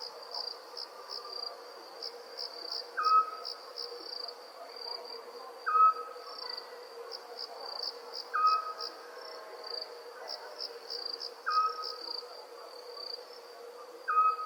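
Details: Crickets chirp at night in a constant, high, rapidly pulsed trill, while a brief whistled call repeats about every 2.7 seconds, five times.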